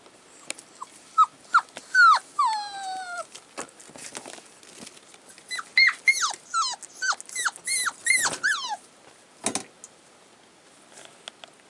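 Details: Thirty-five-day-old collie puppies recorded 16 February 2012, uttering a busy run of high, downward-sliding whines and yelps, some drawn out, clustered in the middle with a brief rustle near the end.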